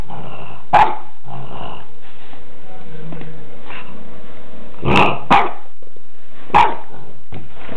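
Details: A French Bulldog gives short, sharp barks mixed with low growling, with pauses between bursts, reacting to a black balloon, the one thing he fears.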